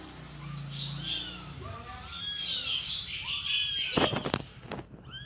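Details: Around a mother cat moving her kittens: a rapid string of high, overlapping, wavering mews crowds together, followed by several sharp knocks and thumps near the end.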